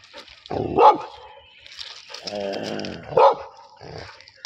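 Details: Labrador Retriever fighting a buffalo: two strong barks separated by a longer voiced, throaty sound with a growling quality, over faint background noise.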